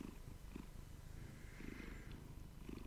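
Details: Pet domestic cat purring while cuddled up with its owner over morning coffee indoors; a soft low rumble with faint rhythmic pulses about every second, under a quiet room hum.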